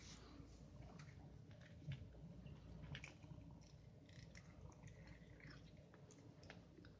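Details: Indoors, a domestic cat purrs while playing with a bath stopper. A soft, continuous low rumble runs the whole time, under scattered small clicks, taps and rustles from the play.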